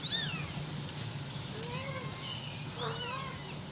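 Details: Kitten calling to its mother, giving short high meows that curve downward, some faint and overlapping, over a low steady hum.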